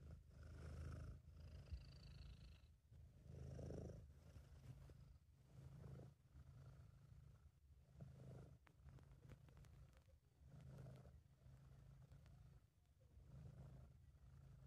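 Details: Contented purring of Sabu, a British Shorthair, recorded by an amateur while the cat relaxes. A continuous low rumble, louder on each inhale-exhale cycle every two to three seconds, with faint high whistling tones and scattered clicks.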